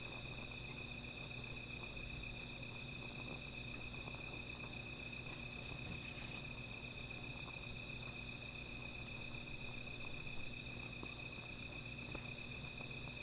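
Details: Steady shrill insect chorus at night, one sustained high note with a fainter upper shimmer, accompanied by busy crackling of a small fire and a brief soft rush midway.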